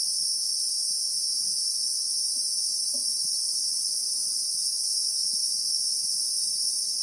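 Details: Unwavering high-pitched electric buzz of Christmas beetles in South African bushveld, two shrill tones held without a break, with a single faint low tap partway through.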